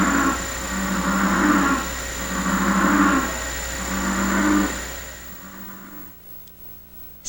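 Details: A chorus of American bullfrogs gives deep, drawn-out, resonant croaks in steady succession as mating calls. The calls echo off the rock walls of a canyon near Santiago in the La Laguna Range, Baja California peninsula.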